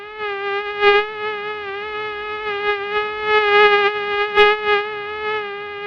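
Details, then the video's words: Continuous high whine of a flying mosquito, one unbroken tone with many bright overtones, pitch wavering slightly while volume rises and dips in quick pulses, loudest near the first and fourth seconds; nothing else audible. "Real Sound of Mosquito"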